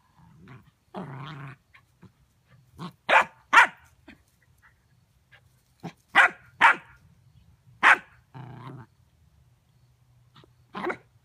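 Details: Hazel, a dog, confronting a dustpan with a mix of low growls and short bursts of barking, irregular and broken by pauses, with a steady low hum beneath.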